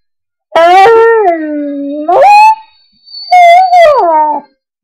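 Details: A pet dog howling along to bagpipe music: three drawn-out, wavering howls that slide down, then rise and fall again, with short silent gaps between phrases.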